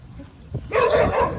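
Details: American Bully dog while playing, giving a loud, harsh, rasping bark-growl that starts suddenly and rumbles on for most of a second, with faint background noise.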